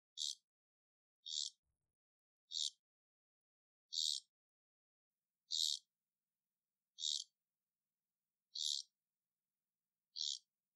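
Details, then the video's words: Captive Amazonian poison frogs (Ranitomeya amazonica "Iquitos") call with short, high buzzy notes repeated about every second and a half. "Poison Dart Frog Calling ( Ranitomeya amazonica " iquitos")"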